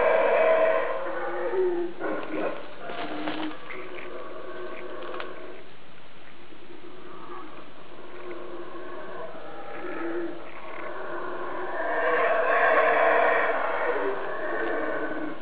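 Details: Howler monkeys roar up close from somewhere overhead, unseen, in a deep, rasping chorus that swells, fades, then surges again.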